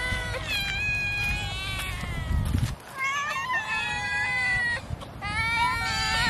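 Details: Domestic cat meowing while fed fish; several long, slightly wavering meows follow one another, with low background noise and a brief quiet break.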